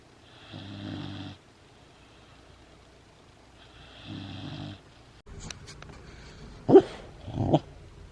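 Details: A sleeping female Great Dane puppy, petted while asleep, snores in slow, rumbling breaths, each lasting about a second; she makes these noises when petted during sleep.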